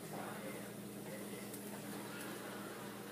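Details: Quiet indoor hiss and low hum fill a small room, with no clear animal call.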